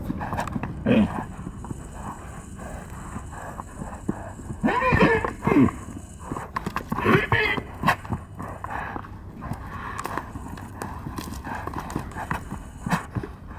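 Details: Wild stallions fighting in Arizona give two loud, squealing bursts about two seconds apart, mixed with hoof thuds, rustling and heavy wind noise at close range.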